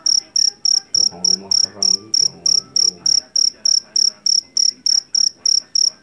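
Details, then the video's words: Field cricket called jangkrik jeliteng or jangkrik Jawa, from a rice field, famed as a loud singer. About twenty sharp, high chirps tick along evenly, while a brief faint low voice-like sound passes early on. "SUARA JANGKRIK PENGUSIR TIKUS SUARA ASLI"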